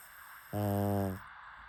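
A pug gives one low, buzzy snore that holds steady for under a second.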